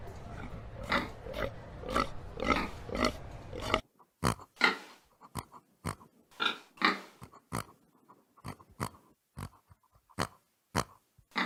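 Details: Pig grunting over a rumbling background for the first four seconds. The background then drops away, leaving clear, separate grunts and snorts at an irregular pace.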